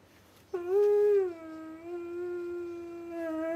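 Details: A male Siberian Husky, wanting his owner off a video game console, 'talks' in a drawn-out, whiny, tonal howl with rich harmonics that starts abruptly, wavers, holds steady, then rises at the end.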